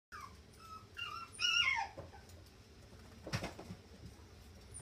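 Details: A dog gives a few thin, high whining whimpers that rise and fall over about a second, followed by quiet and a single dull knock.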